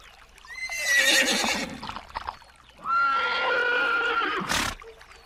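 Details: Two long horse whinnies from a herd, the second a steady, sustained tone over a second long, with a sharp broadband burst at the close.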